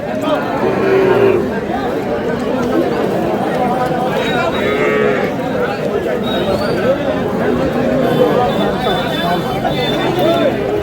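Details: Lean cows at Aftabganj cattle market on 2 May, with drawn-out, low moans rising over steady crowd chatter and men bargaining over prices, one moo near the start and another midway.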